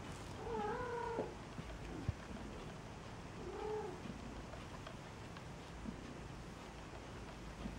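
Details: Newborn Maine Coon kittens at a single-breed cattery in Saint Petersburg, Russia, giving two thin, wavering mews: a longer one near the start and a shorter one about three seconds later, over soft rustling and low background hum.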